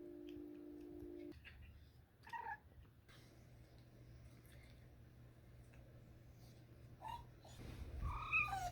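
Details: Domestic cat making cute trilling noises while asking for treats; short chirping calls rise and fall at about two, seven and eight seconds, separated by quiet room hum.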